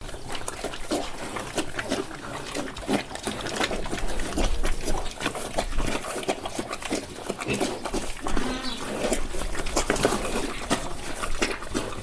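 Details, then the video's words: Several pigs eating on a farm: dense, continuous crunching and wet chewing clicks with occasional snuffles over a low steady rumble. "Pigs Eating"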